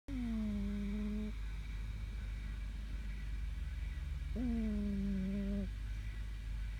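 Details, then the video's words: Fermat the Wonder Cat snoring while asleep: two smooth, humming nasal tones, each just over a second long and gently falling, spaced about three seconds apart with each breath, over a steady low background drone. "My cat is snoring"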